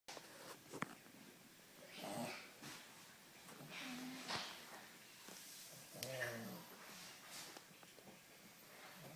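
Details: An English Bulldog puppy snores while sleeping, as he always does, in rough, wheezy breaths with snorting, throaty rumbles every couple of seconds.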